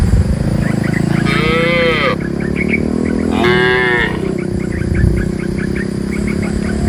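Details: A herd of gentle cows guided from the forest into their pen. Two back-to-back moos, each about a second long and gently rising then falling, over a bed of rapid tiny chirps and low-frequency noise.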